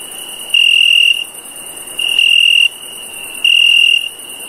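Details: Cricket at night giving three short, steady, high-pitched trilled chirps, each about half a second long, spaced roughly every one and a half seconds, over a faint continuous high hiss.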